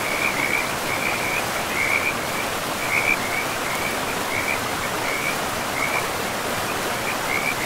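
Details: Forest frogs calling by a river in an untouched woodland. Short chirping trills recur roughly every half second to a second, evenly spaced across the clip, set against continuous broadband water rush.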